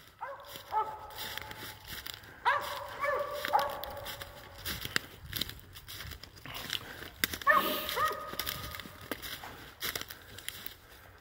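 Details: Dog on a squirrel hunt, barking at a squirrel up a tree: a handful of long, ringing bays with a falling tail, spaced a few seconds apart, over crunching steps and rural ambient noise.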